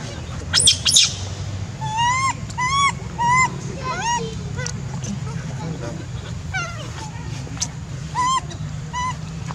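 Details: A monkey crying: a series of arched, whistled cries that rise and then fall, several within a few seconds with short pauses between them, over a low steady background hum.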